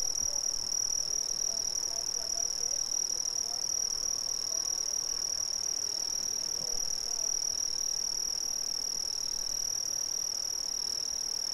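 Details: Continuous shrill chorus of Brazilian crickets, one dominant high trill plus a quieter higher band, even and ceaseless, with faint low murmurs underneath but no clear other animals.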